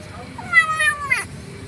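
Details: Starving stray female kitten, noisy while she eats: one short, clear meow that rises and then falls, with a soft low background rumble.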